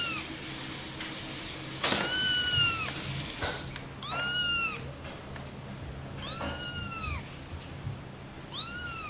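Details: Playful cat giving four high, clear arched meows, each rising then falling, spaced about two seconds apart, over a steady background hiss.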